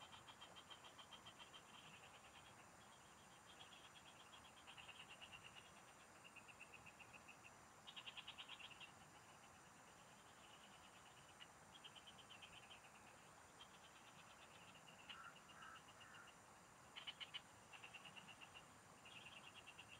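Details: Several frogs singing in the fields, recorded while someone fishes: overlapping bursts of rapid, clicky pulses in high trains lasting about a second each, some louder and closer, over a steady high insect hum.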